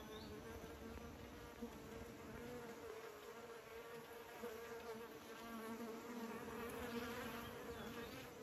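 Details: A crowd of bees around beekeepers gives a steady, resonant buzzing, one clear wingbeat tone holding throughout while nearer bees swell the sound toward the end.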